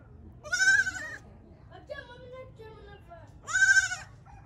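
A goat gives two loud, wavering bleats a few seconds apart, with quieter voices between them.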